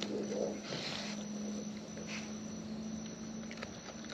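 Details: Wild raccoons filmed up close while eating: soft, irregular crackling and patter of chewing fills the clip, with brief crunchy bursts near the start and a faint steady low hum underneath.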